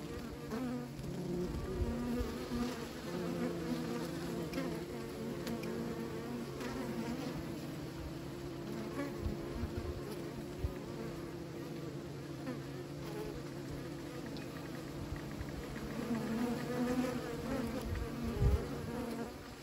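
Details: Dense, unbroken buzzing of numerous bees at a beekeeping site, deep layered drone with a strong low rumble and short louder fly-by buzzes near the end.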